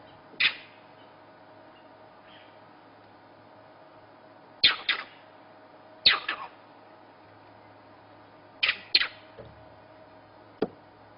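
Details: Monkeys in the morning at Djuma Game Reserve, South Africa, give sharp, harsh alarm barks, often in quick pairs, keeping an eye on a female leopard nearby and warning that a leopard is around.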